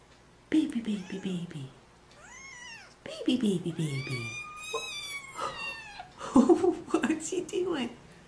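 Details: Meowing kittens give drawn-out, rising-then-falling meows with rich overtones, some overlapping, while a person speaks close by and low rustling fills the gaps.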